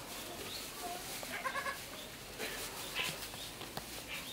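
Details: Four-day-old triplet goat kids at Saitama Children's Zoo, Japan; a short, wavering bleat rises briefly mid-clip amid noisy background chatter and bustle.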